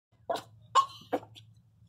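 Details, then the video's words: Pinscher giving birth, in labour pain and crying, at home; three short sharp yelps or whimpers about every 0.4 seconds, one with a brief tonal whine, over a steady low hum. "A riqueza sentindo dor chorando alto começou ganhar filhote a parto de cachorro"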